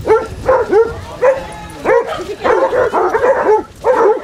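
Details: Basset Hounds, part of a pack of 24 walking five miles along Burnham and Berrow beach, Somerset, on 2 February 2014, give about ten loud, ringing barks in an irregular burst, each slightly falling in pitch, with short gaps between.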